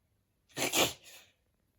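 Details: Pollen-allergic male Shiba Inu Kotaro, a rescued dog, lets out a single breathy sneeze indoors, a loud hissing burst with a brief softer tail, then silence.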